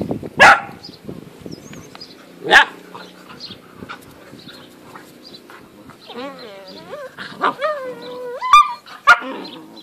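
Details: Great Dane puppies, 8.5 weeks old, from a five-pup litter dated 4 June 2014. Two lone sharp yaps stand out over a quiet background, then a rising and falling puppy whine wavers and climbs before a final yelp.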